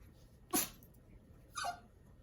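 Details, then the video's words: Chihuahua puppy sneezing with excitement over cheese, which he loves; two sharp, breathy sneeze bursts about a second apart against a quiet background. "Chihuahua puppy sneezes with excitement he loves cheese!"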